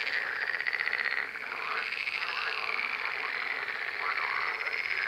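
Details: Many frogs calling together in a steady, unbroken chorus of buzzy, pulsed trills, loudest in the first second and then holding at an even level.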